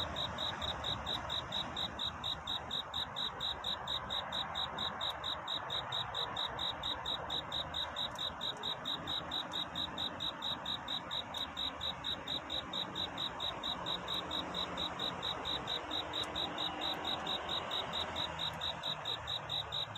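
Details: Cricket's nocturnal courtship song toward dawn: a long, very regular run of quick, high, tinkling chirp pulses that never pauses, set against soft continuous background hiss.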